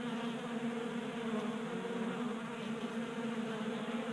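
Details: Honey bees feasting at a 3D printed tabletop feeder in a Colorado garage during an unusually warm 60-degree January. A steady, dense, low drone of many wings hums continuously with layered overtones.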